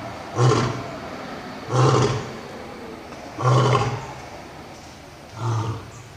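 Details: Old and young lions roaring: four deep, booming grunts spaced about one and a half seconds apart, each broad and resonant, the last slightly softer, over a quiet background.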